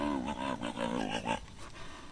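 A California sea lion gives a hoarse, honking call in quick pulses, then falls silent.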